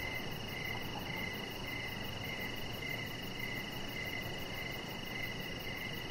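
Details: Crickets chirp in the evening near a deck where Rocket the chihuahua puppy rests; evenly spaced, high pulsed chirps recur roughly every half second against a constant droning background.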